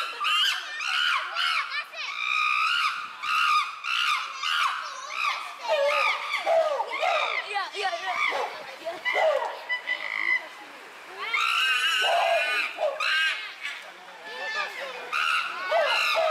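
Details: Uproar among chimpanzees at Tama Zoological Park, June 2022: harsh, harmonic screams bursting out about twice a second in the first seconds, then irregular wailing calls, with a long loud scream cluster near the end from several animals.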